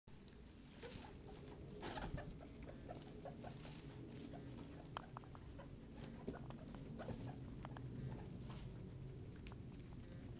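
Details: Pet guinea pigs making soft, short squeaky chirps scattered through the recording, some in quick clusters, over steady low rustling and shuffling bedding noise with occasional sharp clicks.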